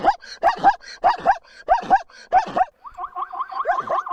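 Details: Zebra whinny from a natural setting: six hoarse, two-part barking yelps spaced about half a second apart, then a quicker run of higher, tighter pulses.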